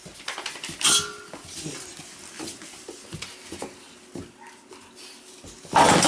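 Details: Weimaraner puppies from the Indigo and Magnum litter, one giving a brief high tonal whimper early on, amid clattering and scraping noises and scattered soft yelps.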